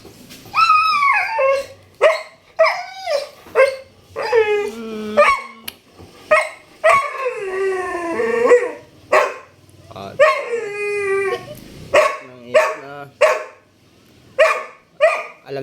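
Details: A Labrador Retriever, prompted by its owner to cry, gives long, wavering whines and howls that rise and fall in pitch.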